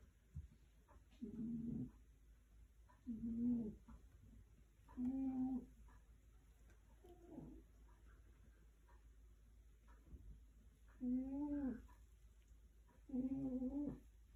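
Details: Tiger snoring steadily, six low, rough, humming breaths spaced about two seconds apart, some sliding slightly upward with a nasal edge, a fainter breath in between; calm, still surroundings.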